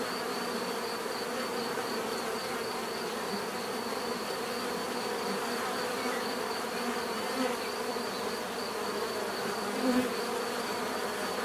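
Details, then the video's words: Steady buzzing of bees forms an even, layered drone, with a brief louder buzz passing close near the end. "bees therapy relaxing natural buzzing sound"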